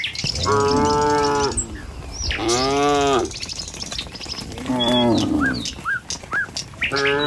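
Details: Tame village cattle moving in a herd along a rural road toward the pen in the morning: several drawn-out, low harmonic moos, one rising then falling, with high bird chirps between calls.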